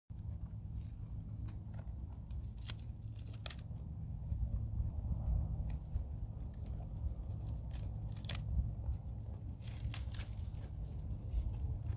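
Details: Only a low indoor rumble with scattered sharp clicks and rustling handling noises is heard, and no animal calls.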